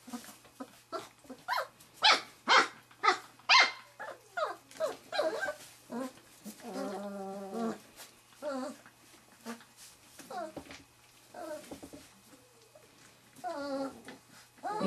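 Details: Wirehaired Pointing Griffon puppies, three and a half weeks old, investigate a quail brought home from bird training; rapid series of sharp yips and barks, then wavering whining cries and growly whimpers continuing irregularly.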